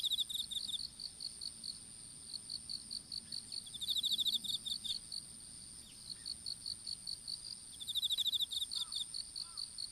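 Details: Insects calling in an open-field strawberry patch in Japan, recorded on a dropped smartphone during seedling planting: a steady high whine runs throughout, broken by bursts of rapid pulsed chirps near 4 seconds and again near 8.5 seconds.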